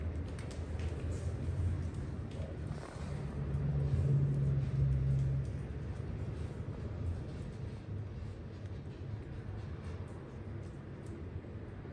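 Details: Low rumbling background noise, like distant traffic, swells slightly in the middle, with faint murmurs beneath it.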